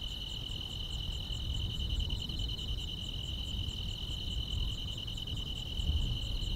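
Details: Grass insects calling on a quiet summer night: a steady, shrill, high-pitched trill with a faint pulsing shimmer above it, over a constant low rumbling hiss.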